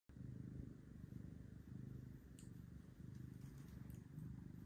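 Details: Carlisle, an orange cat available for adoption at Seattle Humane, purring big and steady: a deep, low rumbling that swells and dips in waves roughly every second or two, with a faint hiss of background noise.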